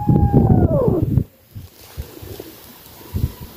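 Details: Grumpy mother cat Nancy, often annoyed with her kittens, lets out a loud, drawn-out meow that slides steadily downward in pitch and ends abruptly, followed by quiet room noise and faint taps.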